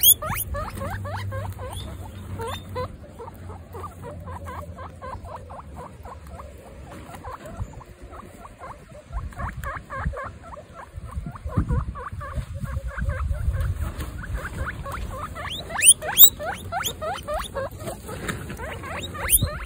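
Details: Baby female guinea pigs on their first picnic, from a household of 26 females; rapid, irregular series of short squeaky chirps, many overlapping voices, with light rustling and pattering underneath and occasional sharper rising squeals.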